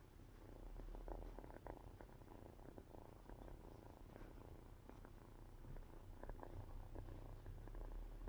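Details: Cat purring while drowsy, a continuous soft low-pitched rumble that swells and eases slightly over several seconds, with occasional light rustling sounds.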